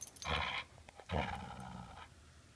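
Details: Border Collie holding onto its ball and refusing to give it back, answering with two drawn-out, harsh grumbling vocalizations, each about half a second to a second long, separated by a short pause, in a quiet room.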